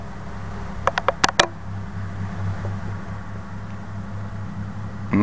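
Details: A steady low mechanical hum fills a small indoor room, broken by a quick run of sharp clicks or taps near the start and a brief knock at the end.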